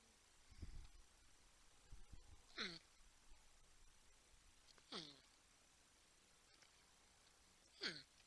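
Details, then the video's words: Porcupines on a live wildlife camera at TWC, San Angelo, Texas, with a 10-point buck and a raccoon nearby: three drawn-out, falling, whining hums spaced a few seconds apart, plus soft low thumps early on, over a quiet background. "Humming Grunting Porcupines"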